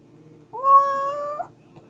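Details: Kitten giving a single drawn-out meow lasting about a second, steady and slightly rising at the end, with a quiet low background hum.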